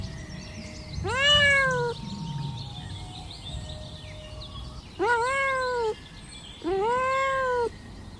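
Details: Kittens asking for their mother's milk; three clear drawn-out mews, each rising then falling, spaced a few seconds apart, over low background rumble.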